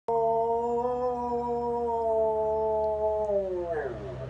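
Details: Clyde the dog gives a long, steady howl held at one even pitch for over three seconds, with rich layered overtones, then slides downward and fades at the end.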